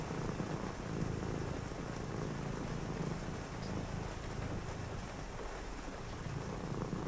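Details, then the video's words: Continuous low purr from a pet cat on a rainy night while someone reads, a deep, grainy rumble that holds steady throughout, with broad rain hiss filling the background. "cozy read with me (& a purring cat) on a rainy night"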